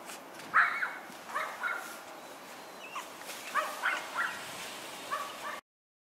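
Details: Boston Terrier puppies born on New Year's Day give high, squeaky whimpers in short bursts, roughly eight cries spread over five seconds, against a quiet room.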